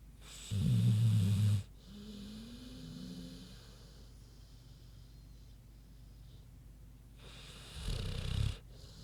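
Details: Queenie the pig asleep: one loud rasping snore, a long quiet stretch of soft breathing, then a second shorter rattling snore.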